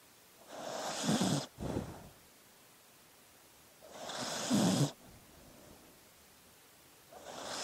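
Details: Dog snoring in its sleep, with breathy rasping snores and a low rattle, coming roughly every three to four seconds with quiet gaps between.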